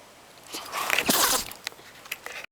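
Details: A Shiba Inu, deliberately made to sneeze with a twisted paper string, gives a sudden, breathy sneeze, a short hissing burst of air.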